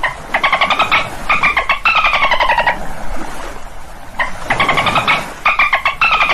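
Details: Buzzy, pulsed dolphin squawks in clusters with harmonic tones that rise and dip, a quieter gap in the middle, then further bursts.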